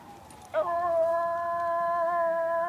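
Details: Miniature Schnauzer copying a fire truck siren. A short rough onset is followed by a long, steady, tonal howl that holds one pitch, over a low background hum.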